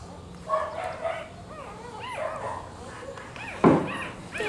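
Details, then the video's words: Rottweiler puppies nursing from their black mother, high arched squeaky whimpers rising and falling in short bursts, a few overlapping, with a soft thump near the end and low room noise. "amamentando filhotes de rottweiler"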